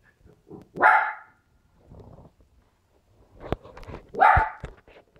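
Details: Loud barking from West Highland White Terriers at play, three-year-old Nappy with two-and-a-half-month-old puppy Stella indoors: two sharp, strong barks about three seconds apart, with softer grunts and small yaps between them.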